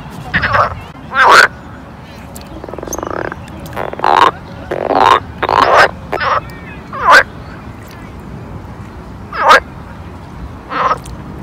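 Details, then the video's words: Pond frogs on a summer day croaking: a run of short, gritty croaks and one longer buzzing rattle, closely spaced at first and then thinning out, with low ambient noise beneath. "Summer Ambience Pond Frog Sound"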